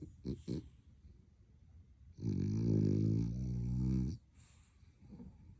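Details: Sleeping French Bulldog puppy, apparently dreaming, gives two quick snorts, then one long droning snore lasting about two seconds, low and rough with strong harmonics, followed by soft breathing.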